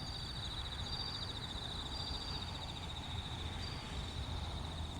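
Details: Bell crickets singing at Kinokawa Service Area in Wakayama, Japan: a steady shimmering high trill with brief brighter ringing notes rising above it, over a constant low rumble of traffic.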